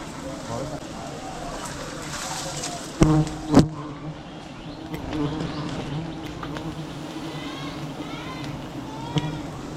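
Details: Wild bees droning at a huge beehive as it is cut for honey in a village; a continuous low hum with a couple of sharp knocks and faint voices in the background.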